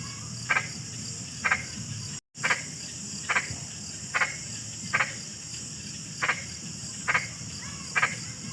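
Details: Frog calling, short sharp notes repeated about once a second, each a brief double-pulsed croak, against a steady high insect-like hiss and low rumble, with a momentary dropout in the middle.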